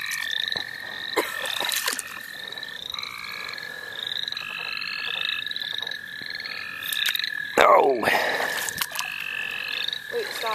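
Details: Many frogs call together in the St. Olaf College Natural Lands while being caught: a high drawn-out trill and quick rising notes repeated rapidly, interrupted near the end by loud splashing or handling noise.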